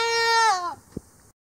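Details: Angora goat being hand-sheared with sewing scissors at Dillner Hillside Farm, head clipped first; a single bleat, loud and level at first, then sliding downward and fading, followed by a brief soft thump.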